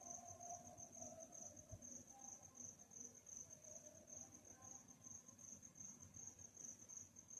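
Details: Crickets chirping at night as a constant high, even trill, with faint wavering mid-pitched tones drifting in the background and a low hum beneath.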